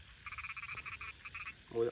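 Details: A frog calling during frog catching: a rapid run of short, nasal pulsed croaks for about a second and a half with a brief gap, then a voice and a low thump at the end.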